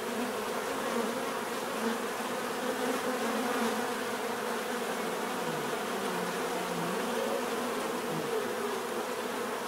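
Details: Bees buzzing steadily, a dense continuous hum with droning tones around the low-mid range, wavering in pitch as individual insects pass; no other sounds stand out.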